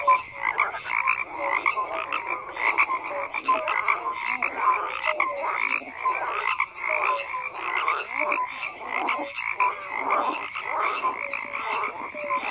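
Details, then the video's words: A chorus of frogs croaks without pause, many callers overlapping in rapid pulsed bursts, with brief clear tonal notes rising above the steady rattling mass. "FROGS CROAKING"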